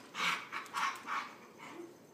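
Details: Husky pup in a playful wrestling match with a companion dog, the pair biting at each other's legs in fun; four rhythmic, huffing bark-like bursts roughly every half second, then a fainter trailing grumble.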